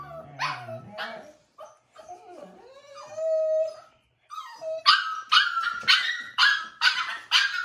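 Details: Five-week-old foster puppy, brought inside for dinner against its wishes, gives a drawn-out wavering howl followed by a rapid string of sharp, high yips, with a woman speaking over the start.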